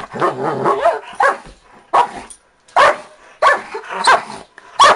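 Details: A 4-year-old pet Dachshund and a 5-year-old blue Doberman, described in jest as vicious and attacking. A low rumbling growl opens, followed by sharp, rough barks spaced roughly every second.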